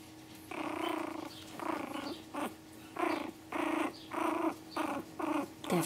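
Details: Pomeranian puppies in a playful growling bout indoors, a series of about eight rough, harmonic growl bursts each under a second long, separated by brief pauses, with a few sharp higher yips.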